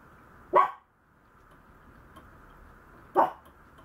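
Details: Two quick, sharp yaps from a Maltese puppy, about two and a half seconds apart, over a low, continuous background hum.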